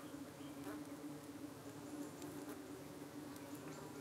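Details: Honey bees defending their UK hive one evening against darting, suspected parasitic flies. A steady, even buzz with a clear steady hum tone runs unbroken through the short stretch, with small clicks and brief higher flight whines.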